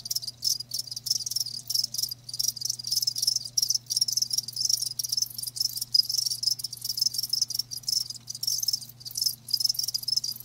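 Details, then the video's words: Crickets kept live, chirping nonstop in quick high trilled pulses broken by short silences, layered into a bright chorus over a faint constant low hum. "Live Crickets 60min "Natural Sound""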